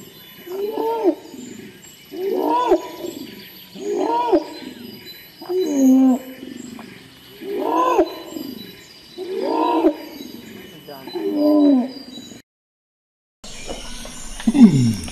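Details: Bornean orangutan calling: a run of about seven loud, roaring, harmonic calls, each rising then falling, repeated roughly every one and a half seconds, then a short silence and a different downward-sweeping sound.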